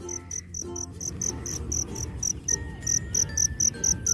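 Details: Black field cricket singing at night in a park outside the usual cricket season, near its burrow: bright, high chirps repeated steadily about every quarter second, with a man talking quietly and a low background rumble.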